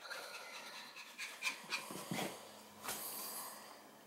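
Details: Long-haired Chihuahua at play in a game of catch-me-if-you-can, panting in quick, irregular, breathy puffs, about three or four a second, with one louder snort-like burst toward the end.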